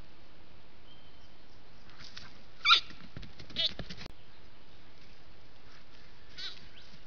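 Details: Young spiky sambar stag caught on a trail camera as seven or more deer pass through, giving two short, strained bleating calls about a second apart over a quiet background.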